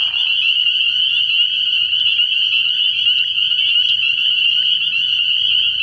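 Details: Night chorus of spring peepers at a frog pond early in the year. Countless high, piercing peeps blend into a steady ringing wall of sound, with a short lower buzzy note right at the beginning.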